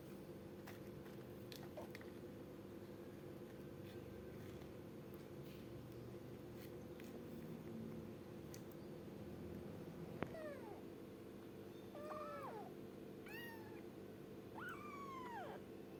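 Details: A kitten called gembul meows three or four times in the second half, short rising-then-falling cries a second or two apart, after a quiet stretch with faint taps and a constant low hum.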